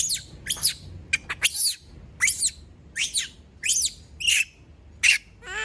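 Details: Female monkey kept by people, screaming after everyone leaves her alone: a string of shrill, high, harmonic shrieks, each bending down in pitch, about every half second, with a low background hum.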